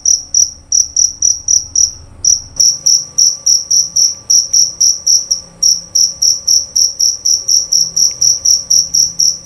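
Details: Male jerabang cricket, a field cricket sought in the cricket season in Indonesian countryside rice fields and gardens, kept for its loud, clear voice; sharp high chirps repeated about four per second, with a brief pause near two and a half seconds.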